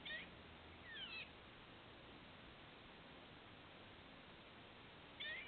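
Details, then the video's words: Squirrel heard from a patio, thought to be having hiccups: short, sharp chirps with bent harmonics near the start, again about a second later and once more at the end, over steady low background hiss. "Squirrel with hiccups, maybe?"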